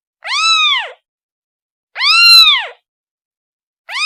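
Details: Kitten calling its mother: two drawn-out, arching meows with strong harmonics, the second louder, followed by the start of a third, separated by quiet pauses.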